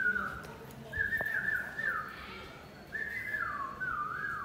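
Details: High whining from a playful two-month-old Pit Bull puppy: drawn-out tones that wobble and dip in pitch, three long whines in a row over faint room noise and a sharp click.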